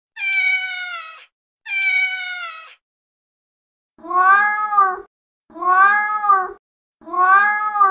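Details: Female domestic cat with two long, level, high meows, followed by three shorter, lower arched meows spaced about a second and a half apart, against a quiet background.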